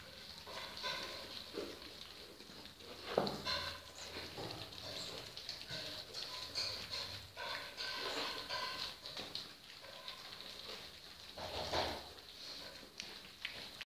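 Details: Several Golden Retriever puppies at feeding time give thin, high whines and short yelps in uneven, overlapping bursts over a steady background hiss; Golden Retriever (puppies).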